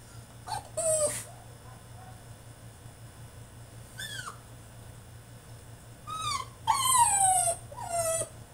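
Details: French Bulldog fussing in his cage, with scattered high falling whimpers and a few sharper yelps, spaced by quiet stretches over a low hum.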